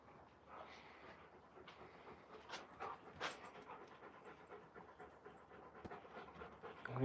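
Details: Raven, an Alaskan Malamute, out of breath after outdoor play with fellow Malamute Moose; rapid rhythmic panting runs under a human voice talking, with a few louder knocks and rustles.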